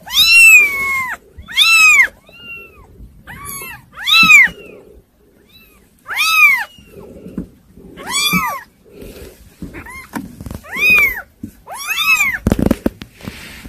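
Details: Several kittens, called hard to control, give a run of short, high, arching meows roughly once a second indoors, with soft rustling and a brief thump near the end.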